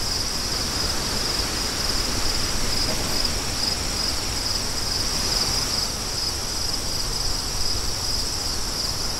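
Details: Crickets in a sleep soundscape with wind: a steady, unbroken high shimmering trill runs throughout beneath loud, constant rushing wind noise.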